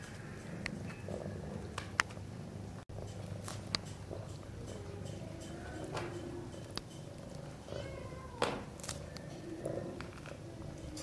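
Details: Mother Sphynx cat with her kittens playing in their nest: a steady low rumbling purr runs throughout, with soft high kitten squeaks and scattered clicks and rustling over it.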